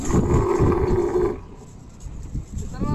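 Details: Camel being loaded onto a vehicle at the Sohrab Goth animal market ahead of Bakra Eid sacrifice: a low, steady droning bellow for over a second, then quieter, with men's voices and crowd noise throughout.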